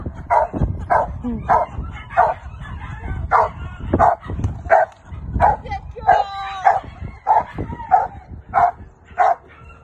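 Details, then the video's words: Female Rottweiler Carma barking during protection training with a helper: a steady series of sharp, loud barks, roughly one every two-thirds of a second, about fifteen in ten seconds, with faint background noise. "Rottweiler protection training"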